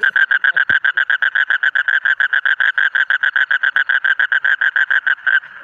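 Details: Rapid run of loud, nasal croaks from a colourful frog, evenly spaced at about four per second. A single sharp knock is heard near the start.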